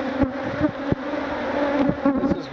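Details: Africanized honey bees, known as killer bees, swarm and sting a man removing their hive; a continuous droning buzz with a clear low tone and a higher band, punctuated by several sharp clicks or impacts.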